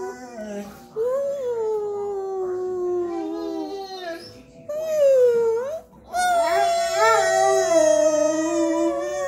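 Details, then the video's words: Domestic dog singing along in a howl, with a person's voice in the background: a series of drawn-out, wobbling wails that bend up and down, separated by brief gaps, ending in a strong, quavering sustained cry. "Howling Dog"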